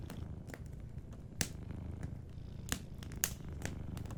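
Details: Gently purring sleeping cat near a crackling fireplace, the low rapid rumble steady and even, punctuated by a few bright pops from the fire.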